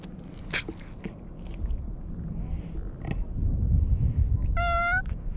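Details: Domestic cat with a cute voice, being petted: one short, clear rising-then-level meow near the end, preceded by low rumbling handling noise and soft rustles.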